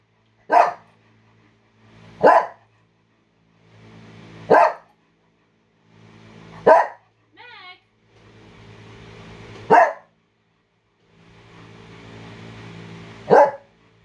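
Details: A female brindle Bull Terrier barks at the door indoors: loud, abrupt single barks at uneven intervals of about two to four seconds, with a short, thin whine midway over a faint low hum.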